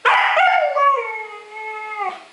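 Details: Young Siberian Huskies howling, a loud wavering cry that starts rough and noisy, then settles into a steady drawn-out tone with clear overtones, slowly falling and holding for about two seconds before breaking off.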